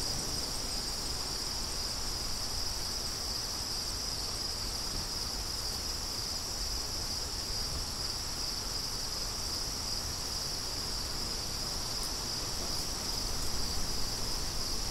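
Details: A bright, unbroken cricket trill dominates, with only a soft wind hiss beneath it and a few faint ticks near the end.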